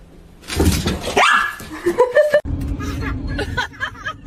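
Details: Dog from a compilation of funny pet moments, giving short noisy barks followed by a rising, whining tonal cry that slides up and down, with background voices and a low steady hum.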